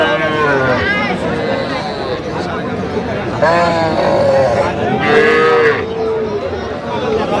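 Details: Small bulls and heifer calves at a cattle market in Kushtia, Bangladesh, on 8 October 2025: several harmonic moos, one rising and falling near four seconds and another near five seconds, over steady crowd chatter and bargaining voices.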